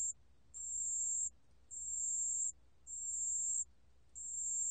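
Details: High, pure, bell-like trill bursts from a pale bell cricket, recorded in 2020. Each ring lasts under a second, separated by short silences, with an even rhythm against faint low rumble.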